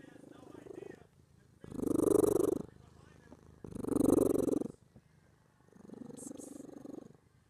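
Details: Happy black domestic cat purring very loudly, in three long, strong rumbling bursts of about one second each with quieter breaths between, the last burst softer.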